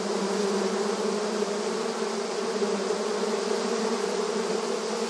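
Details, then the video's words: Swarm of honey bees working the entrance of their hive, rural surroundings; thick unbroken buzzing of many insects, low humming tone with slight flutters in loudness, no other sounds. "Bees Buzzing Sound Effect • Beehive Entrance Video Honey Bee Activity"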